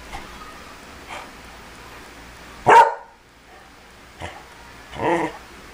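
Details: A Beagle reacting to the smell of cologne, giving a loud single bark, then a second softer bark a couple of seconds later, with faint rustling and quiet indoor background between.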